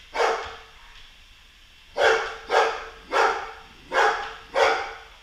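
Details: Golden Retriever barking while battling a Roomba robot vacuum indoors; one bark, a pause, then four loud broad barks about every half second, with faint machine hum underneath.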